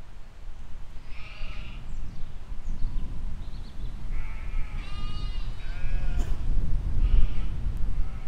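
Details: Grazing sheep and lambs in a field, filmed spring 2020: a handful of clear tremulous baas, one rising strongly with rich harmonics mid-clip, over a loud low rumble like wind or handling noise.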